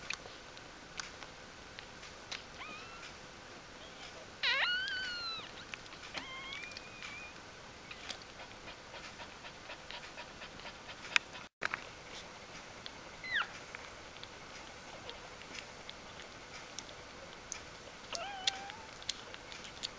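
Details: Puppies within their first four days of life, indoors: scattered high, bending squeaks and short whines at irregular intervals, separated by long stretches of low hiss and small sharp clicks.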